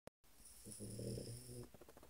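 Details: Cesare, a French Bulldog, asleep: one long rasping snore of about a second, with a low droning buzz and a steady faint high whine above it. A short click comes first, then quiet snuffly breaths follow.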